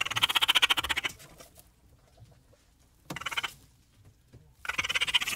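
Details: Raccoon making three separate bursts of very fast, evenly pulsed, high trilling, about a second each, with near silence between them.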